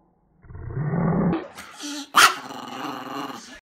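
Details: A Chihuahua at Christmas, described as no angel, gives a low rumbling growl for about a second, then a sharp snappy bark-like burst, with a short tonal squeak between.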